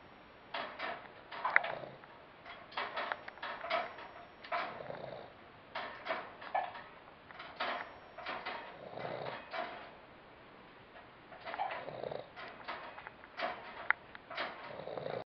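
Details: Mack, a lazy Boston Terrier, snoring and snoozing while asleep: soft breathy snorts and rasping inhalations in irregular bursts roughly every second or two, with brief quiet pauses between runs of snores.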